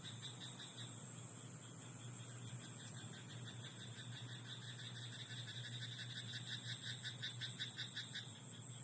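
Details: Night chorus from a frog in a rice paddy: rapid, evenly spaced raspy croaks, roughly three per second, carry through nearly nine seconds, swelling slightly toward the end, with a steady low droning hum beneath.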